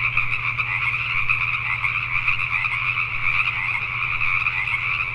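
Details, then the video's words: Night chorus of Pacific tree frogs in Richmond, British Columbia, Canada, many voices croaking at once in a rapid, pulsing mass with no pauses, backed by a faint steady low drone. "Pacific Tree Frogs at Night"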